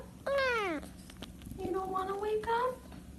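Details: Domestic cat making weird noises: a loud meow falling in pitch, then quieter wavering, drawn-out mews with a steady low hum in the background.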